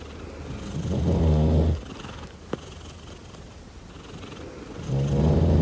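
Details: A purring pet cat called Daisy: a loud throbbing rumble, then a quieter stretch with a single sharp click, before the strong low purr returns at the end.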